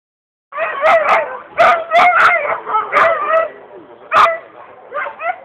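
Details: Alaskan Husky at a dryland dogbike race, the Swedish championship in Nybro, October 2011: a rapid series of loud, harmonic yelps and whines with wavering pitch, bursts close together and uneven, rising in excitement.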